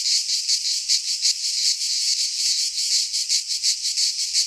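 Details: Greek pine forest cicadas in midsummer produce a shrill, rasping drone that swells and dips in rhythmic waves roughly three times per second, with a faint low thump or two underneath.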